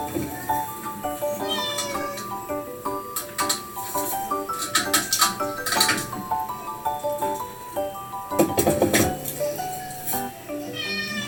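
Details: Domestic cat Ameo, an only-child cat, hears a playback of its own affectionate, attention-seeking voice: several drawn-out meows with rising harmonics, some sliding upward at the end, set against steady background music with plucked melodic notes.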